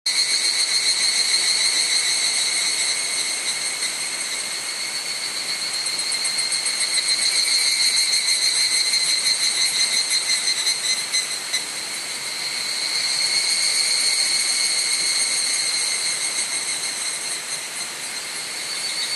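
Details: Evening cicadas singing on a cloudy evening, 18:00–18:30 on 31 July 2011, along the Gokurakuji hiking trail on Mount Hokyo, Tsukuba, Japan, recorded with a camera's built-in mic; a dense, shrill, metallic chorus that swells and fades in slow waves.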